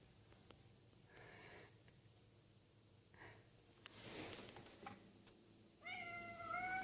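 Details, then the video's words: Bengal kitten making strange noises as it watches outside from a conservatory: a few faint, chattering chirps, a brief rustle, then a louder, drawn-out, steady harmonic meow at the end. "Bengal kitten making strange noises"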